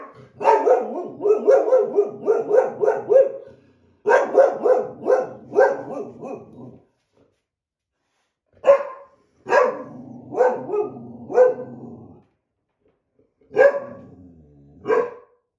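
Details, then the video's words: Ridgely, a white boxer, and an older black Lab mix quarrel indoors over a coveted window seat. Loud, rough barks come in rapid bursts of several, separated by short pauses, with a final pair of barks after a longer gap. "White Boxer and Black Lab Mix Argue Over Window Seat"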